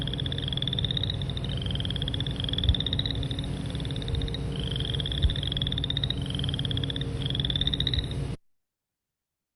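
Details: Boreal Chorus Frog call, likened to running a fingernail over the teeth of a comb: short rising rasping trills, each made of fast clicks, repeated roughly once a second over a low steady hum.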